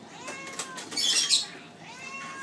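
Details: Hungry pet cats Tiggy and Simba meowing for food indoors; a drawn-out, slightly rising-then-falling meow, a burst of rustling noise in the middle, and a second meow near the end.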